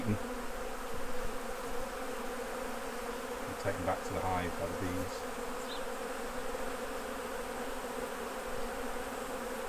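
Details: Honey bees at beekeeping hives during a honey harvest, with frames being taken off. A steady, dense droning hum of many bees fills the clip, and a short burst of voice-like sound rises briefly near the middle.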